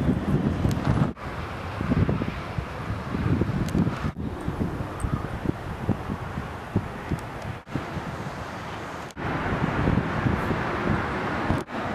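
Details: Gusty wind buffeting the microphone with faint passing traffic and rustling, broken by several brief dropouts, and no animal call heard.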